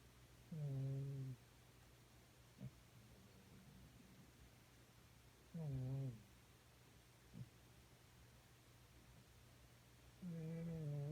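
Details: A cat thought to be about 13 years old, sleeping on a beanbag after demanding bottom pats all night, snores in low harmonic rumbles lasting under a second, three times about every four to five seconds, with soft clicks between in a quiet indoor room.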